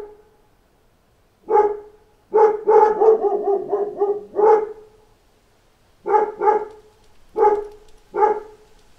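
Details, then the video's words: Pack of dogs answering knocks at the door: scattered single barks around a dense burst of overlapping barking, then evenly spaced paired barks toward the end. "Wake Up to a Pack of Dogs Barking at Knocks at the Door"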